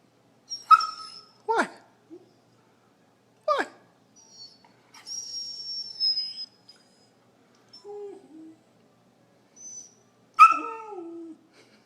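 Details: Sydney, a 16½-week-old Vizsla puppy, restless indoors with cabin fever on a rainy Sunday afternoon, gives several short high whines and yelps, some sliding downward, spread over the clip, with pauses between them; a person's voice can be heard.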